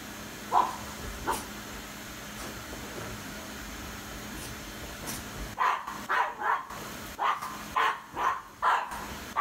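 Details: Isabelle, a Cavalier King Charles Spaniel, barks at a running vacuum cleaner indoors; a few scattered barks over steady machine noise, then a quicker run of sharp barks roughly every half second near the end.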